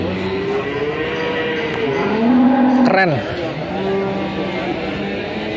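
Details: Big cattle at the Ambarketawang market in the morning before Eid al-Adha: a long, wavering moo swells in the middle then drops sharply, with fainter lowing and a steady din of people and traffic behind.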